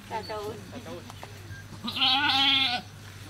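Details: Goat at a cow farm while giving birth, a single strong tremulous bleat near the end, preceded by human speech and brief clicks over a low steady hum.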